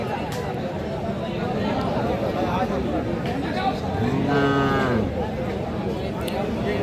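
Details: A bull calf at Aftabganj market in Dinajpur, among Friesian and crossbred calves, gives one short low moo midway, nearly buried under loud crowd voices and steady market din.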